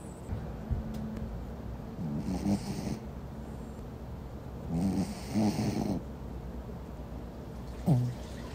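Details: Meatball, a sleeping Pomeranian, snores softly. Low raspy breaths rise near 2, 5 and 8 seconds, with a steady quiet hum in between.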